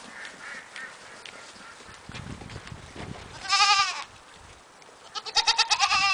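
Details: Cameroon goats giving two short, loud, quavering bleats, one midway and one near the end, over a background of rustling and low noise.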